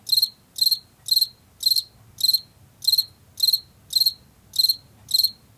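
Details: Washington field cricket, a species heard in late summer and fall, chirping steadily about twice a second. Each chirp is a short burst of three or four bright, high pulses, over a faint low rumble.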